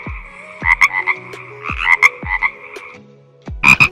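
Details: Frog calling with clipped, buzzy double croaks in quick bursts, a short pause after three seconds, then one louder burst near the end; soft hum in the background.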